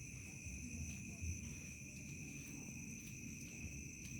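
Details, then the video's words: Crickets in a remote village at dusk turning to night: two steady, unbroken high trills hold throughout, one shrill and one even higher, over a low rumbling background hum. "SUASANA DESA MALAM HARI SUARA JANGKRIK SENJA MENJELANG MALAM"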